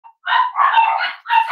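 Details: Cavalier King Charles Spaniel puppies, 25 days old, on a sunny Monday morning while being introduced to puppy mash and potty training; three loud, tonal squealing bursts follow a brief faint note, each rising and holding in a whiny, wavering tone.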